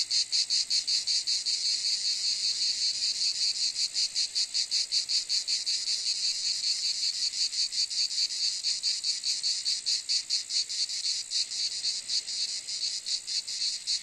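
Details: High, shimmering cicada drone pulsing rapidly at about two and a half beats per second, a steady hissing buzz that barely varies, heard alone without other sounds.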